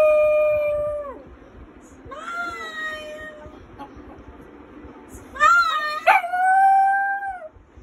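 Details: Brown male Lhasa Apso singing along with his owner. He gives long tonal howls: one steady note falling at the end, then a wavering rising-falling howl, then a higher sliding howl with a sharp yip in the middle.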